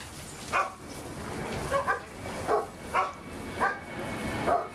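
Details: One of a pack of big dogs playing in a pool, 6/8/11, barks six times in under five seconds. The barks are short and bright, roughly evenly spaced, over a steady watery hiss.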